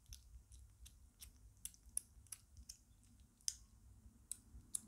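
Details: Lucy the British Shorthair kitten, five weeks old, eats heartily, producing crisp irregular crunching clicks several times a second, some louder bites standing out in a quiet room.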